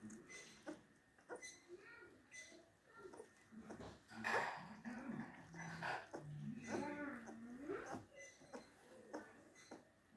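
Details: Two-week-old German Shepherd puppy, a male, being bottle fed indoors, giving soft whimpers and a few rising-then-falling whines around the middle, with a woman's soothing voice and feeding noises in a small room.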